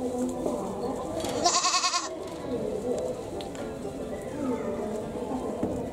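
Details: Goat at a Japanese zoo with a cry likened to a human's: one short, shaky bleat in the first half, otherwise steady crowd chatter and voices around it.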